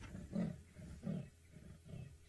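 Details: A male leopard on a savanna safari gives its rasping sawing call, deep grunting strokes about every three-quarters of a second. He shows little interest in nearby impalas, and monkeys have been alarm-calling.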